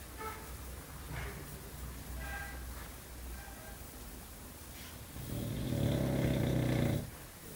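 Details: English Bulldog (Canis lupus familiaris), snoring.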